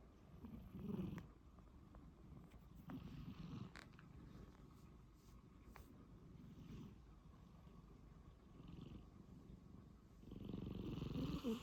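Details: Sleeping domestic cat snoring softly indoors, with low, rough breathing sounds that swell in bursts around the first, third to fourth, and last seconds, and a faint purr-like rumble between them.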